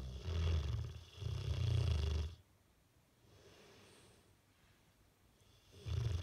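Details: Sleeping Bullmastiff snoring with its face twitching: two long, deep rumbling inhalation snores, then a quiet pause before another snore begins.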